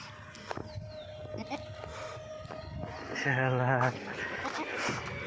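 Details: A goat on a Bangladesh goat-rearing farm gives one wavering, harmonic-rich bleat lasting under a second, after people speaking Bengali nearby; background chatter and rustling continue.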